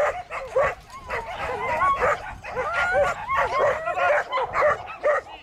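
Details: Border collie giving rapid, shrill yelping barks mixed with whiny, bending cries, high and nasal in tone, several per second in a continuous excited burst.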